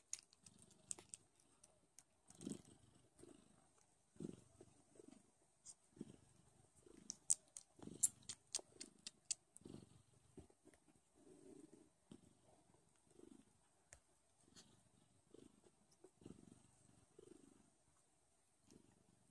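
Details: Don Sphynx baby kittens nursing loudly indoors. Low rumbling purr in rhythmic pulses roughly every second, overlaid with sharp wet sucking clicks and smacks.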